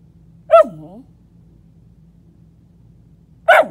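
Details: Male dog lying under a bed indoors, vocalizing in short bursts: a sharp yelping note that slides down into a moaning whine, then a second brief yelp about three seconds later, in a quiet room with a low steady hum.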